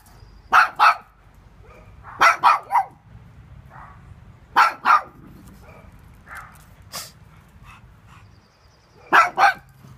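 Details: Pug barking furiously at a floatie it treats as an intruder: quick double and triple bursts of sharp, mid-pitched barks, clusters separated by a few seconds of near-quiet.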